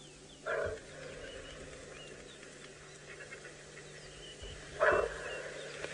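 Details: Kudu alarm call in South Africa's Sabi Sand, deep because of the vegetation the animal lives in: two short, loud, harsh barks about four seconds apart over a faint steady hum and quiet background.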